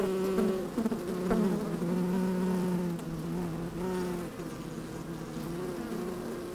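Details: Honey bees working inside an open hive on a fine, sunny day, microphone slid down among them: a dense, steady hum with bright droning tones near the low-middle range, individual buzzes flaring briefly over the constant colony drone.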